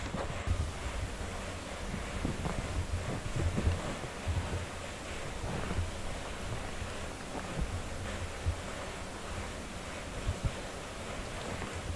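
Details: Wind-like rumble and continuous rustling handling noise with occasional soft thumps, and no animal voice is heard.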